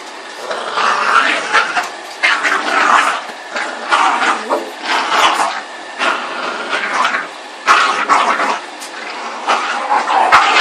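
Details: Boston Terrier and Pug mix dog, known as a Bug, at play: bursts of rough, growly barks and yips come roughly every second, loud and harsh, over a steady background hiss.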